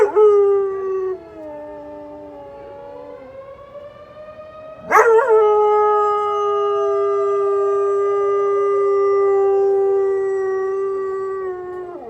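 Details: The wail of a tornado siren is followed by Eli, a pet dog, breaking in with a sudden upward yelp that settles into a long sustained howl, slowly falling, during the weekly Saturday noon siren test.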